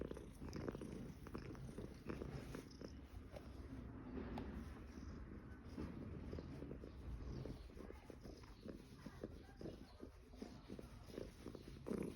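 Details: Somali cat at an apartment on Caoyang Road, Shanghai, recorded 16 May 2016; steady deep purr rumbling throughout, with faint clicks and a little background noise.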